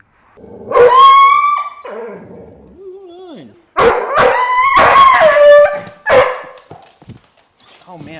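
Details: Dog getting a chiropractic adjustment cries out with drawn, tonal yelping whines that rise and fall. Loud squeals come in several bursts, with a person's low voice between them.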